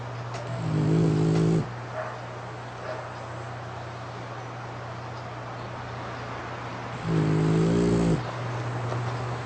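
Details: Sleeping French Bulldog Rasha, tired from playing and lying with eyes open on a pink futon, gives two long buzzing snores some six seconds apart, lips puffing with each breath, against a constant low hum and hiss.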